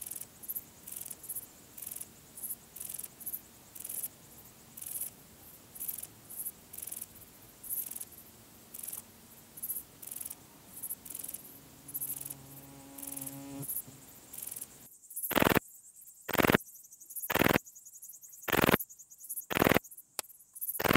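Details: Graceful bush-cricket at Vela Ucka, Croatia, 30 July 2023. Faint rapid ticking sits under a noisy, rumbling background at first, with a brief low hum. Then loud, clean, raspy chirps follow at about one per second.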